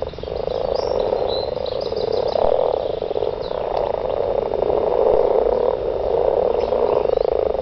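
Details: Garden frogs calling to mate, a dense chorus of overlapping croaks packed into a steady band, swelling and easing slightly over several seconds without any break.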